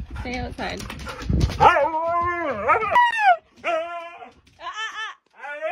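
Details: Hyperactive Siberian Husky dog vocalizing after a burst of human speech, with long harmonic whines and howl-like moans that bend up and down in pitch, followed by shorter wavering yodels separated by brief silences.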